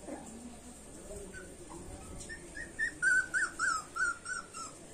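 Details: High, thin whines from street puppies, quiet at first, then a run of louder short falling yelps repeated about every third of a second near the end, over faint background hum.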